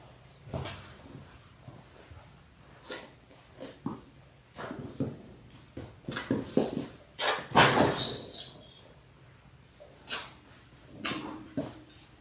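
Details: Six-week-old Labrador Retriever puppies from a litter of six born January 18, 2022, on a live puppy cam. Scattered short yips and clicks, with a denser burst of barking near the middle and faint rustling between calls.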